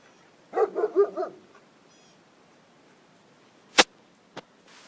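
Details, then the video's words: Dog named Kisses barking at a turtle; a short burst of four or five quick yapping barks, followed by silence and a couple of sharp clicks. "kisses barking at a turtle"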